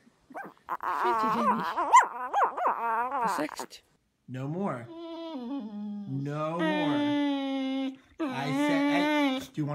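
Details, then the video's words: A dog 'talking': rapid, wavering voice-like yelps and whines, then long drawn-out howling moans with many harmonics that slide down and hold steady, sometimes broken off, coming in several separate phrases. "Have you ever seen a talking dog"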